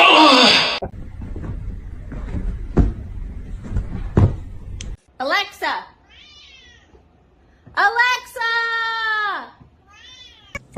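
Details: Pet cat indoors giving drawn-out meows, one long falling-then-rising cry near the end preceded by shorter meows, with people talking in between.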